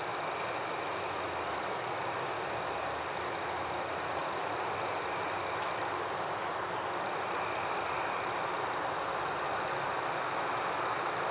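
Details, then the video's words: Crickets in a nighttime forest keep up a dense, continuous high trill, while faster rhythmic chirps repeat steadily above it beneath a uniform hissing backdrop. "Crickets at Night"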